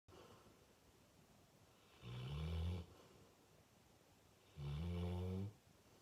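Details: Digby, a full-grown male Fox Red (Ruby) Labrador, snoring loudly while asleep: two long, deep rasping snores with strong low harmonics, about two and a half seconds apart, in a quiet indoor room.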